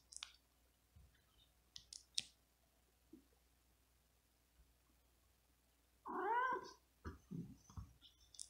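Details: Domestic cat, female, resting fatigued on a carpet in hot weather and disturbed by a poking finger: soft clicks and rustles, then a loud harmonic meow-growl around six seconds, followed by shorter grumbling calls.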